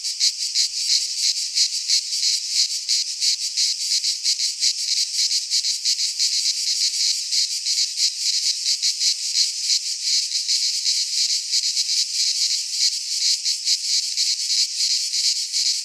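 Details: Midsummer cicada song from a pine forest in Greece: many insects blending into one harsh, high, sizzling drone with rapid pulsing throbs, constant and loud, nothing else audible.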